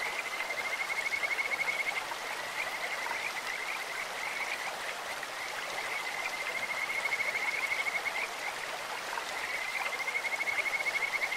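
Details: Kajika frogs in a clear-flowing stream give sweet, bird-like calls: three bursts of fast, evenly pulsed high trilling, each about two seconds long, separated by quieter gaps filled with constant stream noise.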